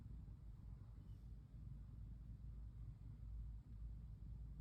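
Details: Pon, a female brown tabby cat, curled up and relaxed while being stroked, gives a steady low rumbling purr with a few brief breaks.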